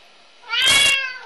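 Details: Binx, a three-year-old red point Siamese cat indoors, bored instead of playing with his toys, gives one loud, bright meow of about half a second, rich in high harmonics, while his owner coaxes him to go find his toy.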